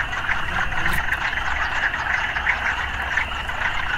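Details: Frogs calling in a city soundscape, a dense rasping chorus with distinct short pulsed notes standing out roughly every third of a second, over a low rumbling traffic hum.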